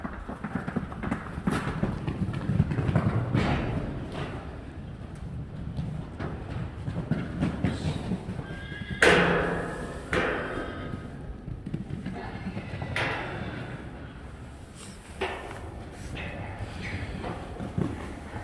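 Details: Weaned Friesian horse fillies, separated from their dams a few weeks earlier, entering an arena for the first time and finding it scary. One loud, shrill whinny breaks out midway, amid hoof clip-clop and a woman's coaxing voice.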